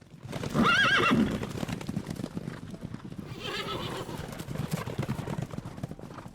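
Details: Horse giving a short wavering whinny that rises and shakes up and down for about half a second, then drops to a low snort, followed by steady clip-clop of hooves and rustling background noise.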